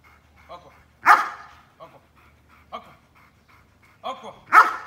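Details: Belgian Malinois during obedience training giving a few sharp, loud barks spaced about three seconds apart, with softer short yelps and quiet voices between them.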